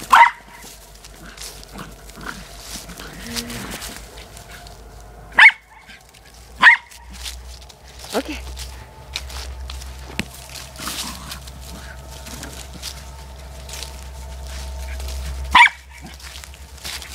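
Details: A corgi playing with her soccer ball gives a few sharp, high barks spaced several seconds apart, with some human speech.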